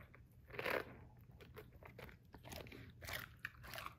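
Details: A male Basset Hound munches romaine lettuce it is being fed, with loud, wet crunching bites in irregular bursts.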